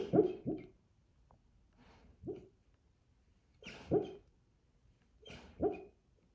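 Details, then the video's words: Sleeping Central Asian Shepherd dreaming, uttering quiet scattered whimpers and stifled yips, single or paired, spaced about one to two seconds apart, with a faint hum in the background. "dreaming 😂😂nika💕central Asian shepherd"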